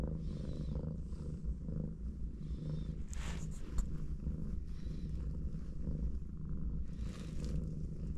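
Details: Purring from a mother cat lying with four kittens, hugging and resting together; deep, even rumble throughout, with brief rustling bursts around the third and seventh seconds.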